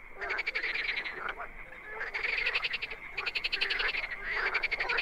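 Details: Wild frogs croak together in swelling waves, each surge of fast pulsed rattles lasting about a second before easing and building again, roughly four surges in all.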